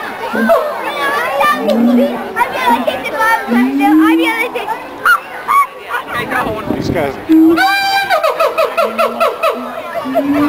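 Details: Columbus Zoo siamang pair in a territorial, pair-bonding duet: low rising hoots and wavering whoops, a brief noisy break from the crowd, then loud ringing calls and rapid repeated notes.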